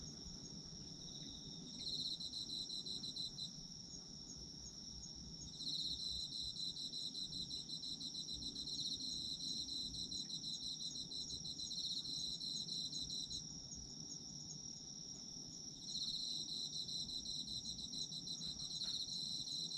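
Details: Autumn insect chorus, a continuous high ringing tone overlaid by bursts of rapid pulsed chirping lasting several seconds each, separated by short pauses, over a soft low hum.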